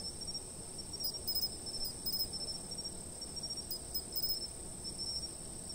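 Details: Chirping insects recorded with a fixed camera for sleep: an unbroken high ringing drone overlaid by short pulse groups every second or so, with quiet low-frequency background noise.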